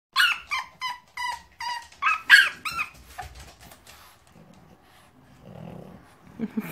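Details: English bulldog; whining yelps; wanting to be let out of its crate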